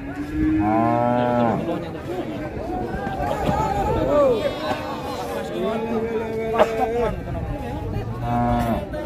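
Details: Limousin Belgian cattle: a clear, sustained moo opens and another closes the stretch, while the middle is a jumble of softer, wavering bellows and scuffing from a crowded group.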